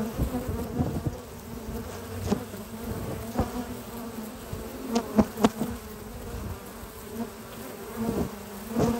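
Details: A low, even drone from honey bee foragers bringing spring pollen into their hive in the morning, with scattered crisp ticks and a few louder buzzing passes as bees fly near.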